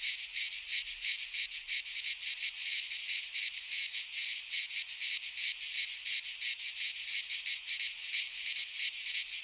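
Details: In a Greek pine forest in midsummer, many cicadas sing together in a loud high-pitched rasping drone, rhythmically throbbing at a quick, fairly even pace; nothing else audible.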